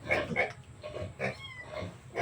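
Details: Native piglets being weaned and separated from their sow, giving short, harsh squealing bursts in a rapid, irregular series, with voices and farmyard background.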